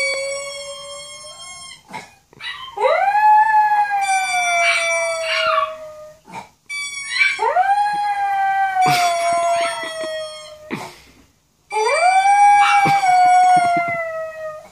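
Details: A small Maltese dog, howling along to a video, gives three drawn-out wavering howls, each starting low, swelling upward and sliding down, ending in yips and tone breaks with short pauses between.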